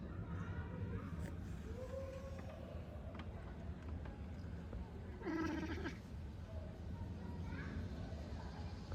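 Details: A male Oriental Shorthair cat hunting a pigeon gives a couple of short, strained meow-like calls, the clearest around the middle, over a steady low rumble of background noise.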